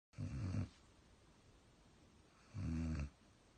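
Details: Sleeping German Shepherd snoring: two low, rumbling snores with a harmonic buzz, each about half a second long and roughly two seconds apart, in a quiet room.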